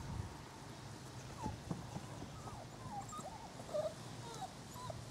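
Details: Six-week-old Corgi puppies (Canis lupus familiaris) give thin, high whimpers and squeaks in short rising and falling notes, outdoors on a warm autumn day by the Volga.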